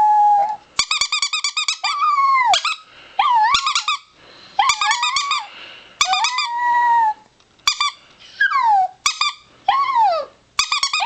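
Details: Indoor howling by a four-year-old pet chihuahua: many short bouts of quavering high yips, often ending in falling or arching whines, some sharply descending, with brief quiet gaps throughout.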